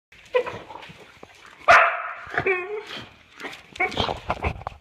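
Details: Boxer dog reacting to bubble wrap it hates: a sudden loud, harmonic bark-whine in the middle, followed by a shorter yelp, with a person talking throughout.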